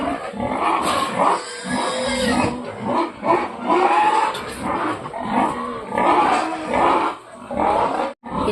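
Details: Several domestic pigs raise a noisy clamour at feeding time: overlapping harsh squeals and grunts in irregular bursts, rising and falling throughout, with brief quieter gaps and a sharp drop near the end.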